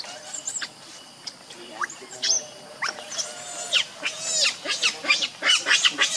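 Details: Leo, a hungry baby monkey wanting its mother's milk, cries in repeated shrill wavering squeals that grow denser and louder toward the end, with a short human remark at the start.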